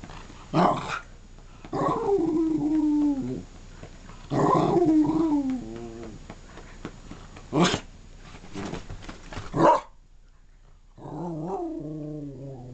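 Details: Female dog Wicked rolling and talking on a bed indoors: a series of yodelling, howl-like grumbles whose pitch rises then falls, loud thumps and rustling between them, ending in a wavering drawn-out moan.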